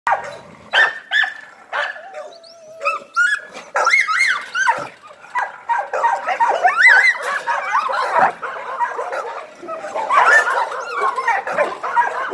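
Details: An American Pit Bull Terrier gives sharp barks, then a run of high, wavering whines and yips.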